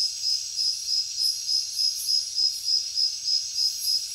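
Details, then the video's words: Loud, evenly spaced cricket chirps, about three each second, ring out above a constant high insect hum. "Crickets Nature Sound"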